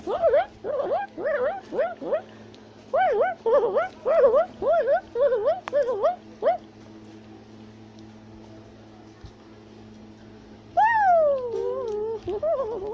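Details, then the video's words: Tufted capuchin monkey in South America, calling while climbing a tree: a run of rapid, rising-falling whistled chirps repeated about twice a second for several seconds, a quiet pause, then a longer descending whistle. "Capuchin Monkey is Climbing a Tree While Shouting and Chattering Sounds"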